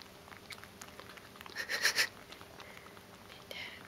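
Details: One-month-old captive jaguarundi juveniles being bottle fed at RSCC: a brief cluster of high, squeaky mewing calls in the middle, with faint shuffling and a short squeak near the end.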